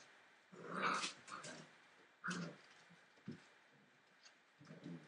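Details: Entlebucher Mountain Dog puppies at 43 days old, from a litter born 28 December 2013, growling: rough, noisy bursts of about a second, spaced irregularly, the first loudest, with softer short grunts following.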